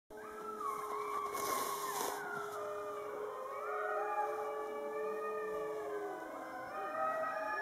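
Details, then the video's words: Fifty Siberian huskies howling together in winter under a full moon after a meal, a thick chorus of many overlapping long, wavering tones sliding up and down at different pitches, steady and continuous throughout. "Husky song"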